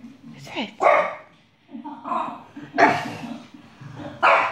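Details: Indoor pet dog barks at a dog shown on TV, giving four loud, abrupt barks spaced roughly a second apart over a low hum, while a person talks and asks what she is barking at.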